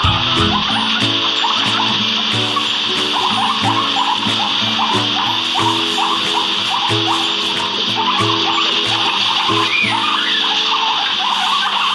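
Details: Steady instrumental music plays over a constant high hiss, with no clear animal voice. Nothing stands out from the music and background noise.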